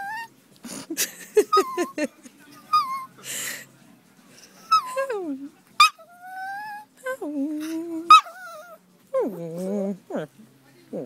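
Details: A Maltese dog howls at sunset in a series of drawn-out, sliding tones that rise and fall in pitch.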